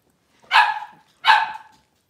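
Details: Litter of five blenheim Cavalier King Charles Spaniel puppies born around New Year's, kept indoors in a puppy pen after moving to a larger one; two sharp, bright yipping barks about three quarters of a second apart, quiet between.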